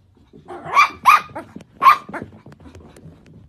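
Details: Cavalier King Charles Spaniel, a pet dog indoors, giving three sharp, bright barks in a quick irregular burst, with a softer fourth yelp and rustling after them.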